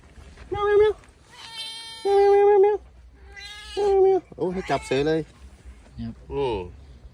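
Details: Orange cat at Phu Makhuea giving a series of meows, several steady nasal tones and some shorter wavering ones, spaced irregularly over about seven seconds, with people talking in the background.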